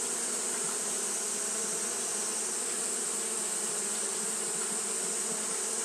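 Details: Japanese honey bees fanning all the time on a hot day: a uniform, low humming drone with faint pitch wobble, accompanied by an unchanging high hiss in the background.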